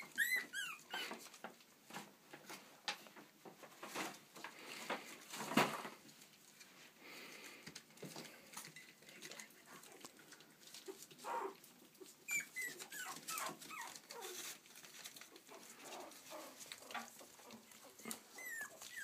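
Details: Yorkshire Terrier pups in Stockport, Cheshire, UK, with occasional high squeaky whines scattered through steady scrabbling, pattering paws and handling noise indoors.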